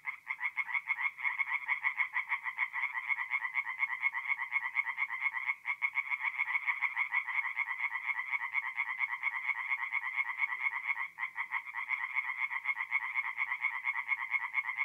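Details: A loud night chorus of tree frogs at a forest pond in north-eastern Italy in mid-April, with rapid pulsed croaks from many callers overlapping continuously, briefly dipping twice, against an otherwise clean background.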